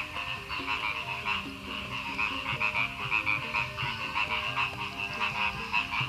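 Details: A dense chorus of frogs on the outskirts of Madiun, Indonesia, recorded after a night of very heavy rain and strong wind: rapid, rattling croaks overlapping without pause, with faint low melodic tones underneath.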